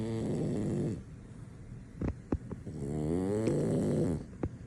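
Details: Male French Bulldog fast asleep, too deep in sleep to be woken, snoring loudly: a harmonic rumbling snore for about a second, a pause with a few soft clicks and snuffles, then a longer, wavering snore.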